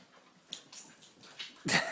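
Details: Pet Siberian Huskies asked whether they want a treat: after soft faint noises, a sudden loud, high whining yip bursts out at the end, begging for the treat.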